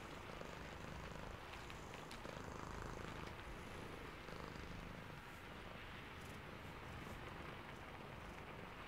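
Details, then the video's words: A sleepy cat purrs in the rain, its low throbbing rumble pulsing about four times a second, partly masked by steady broadband rain hiss. "Sleepy Cat + Purring"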